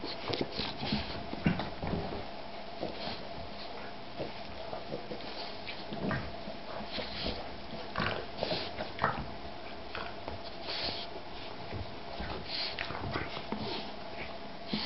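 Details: Playing Boston bulldog and shar-pei cross puppy: a long run of irregular snuffling snorts and rough breathy bursts, coming every second or so, with scuffling between them.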